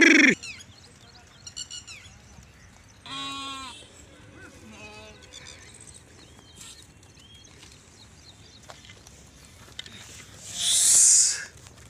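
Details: Sheep and goats out grazing with Maldhari Rabari herders in Indore, Madhya Pradesh; a loud bleat opens, a shorter tremulous bleat follows, then a long quiet stretch of faint background noise before a final harsh, loud cry.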